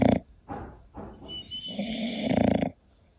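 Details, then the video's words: Sleeping English Bulldog Koda making short grunting snorts followed by a longer vibrating snore that stops abruptly, leaving near silence at the end. "My english Bulldog snoring"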